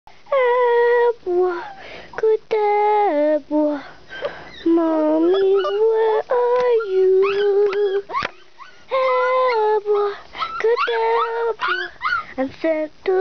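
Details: Several puppies at play give high, whistled whines and whimpers in quick succession. The tones bend up and down, stack into clear overtones and run almost without pause, broken only by short gaps.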